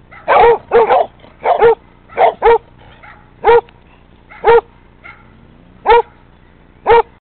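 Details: Basset Hounds raising a fit, barking in a run of loud, short, harmonic barks, some in quick doubles, repeated roughly once a second over a quiet background.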